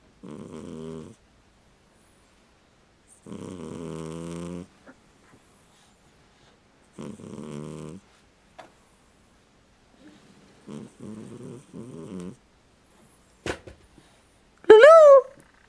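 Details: Domestic cat asleep and snoring, giving harmonic, droning snores each lasting about a second, separated by silent pauses, followed by a short, rising, whiny squeak near the end.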